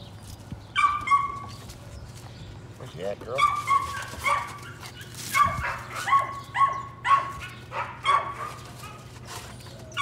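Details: Patterdale Terrier puppies working rats in the evening in a puppy pen, a litter including Cricket, a small black female; a run of sharp, high, tonal yips repeated about every half second, with people talking in the background.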